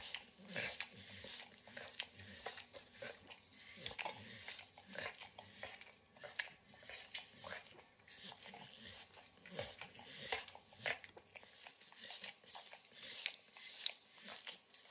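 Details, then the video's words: Indoor kitchen recording of Max, a 9-year-old Pit Bull, eating overcooked bacon: a steady run of wet, clicky licks and nibbling bites, uneven in spacing, with a brief quieter pause near the end and no speech. "Max Licks & Nibbles Bacon | Dog Licking Sounds"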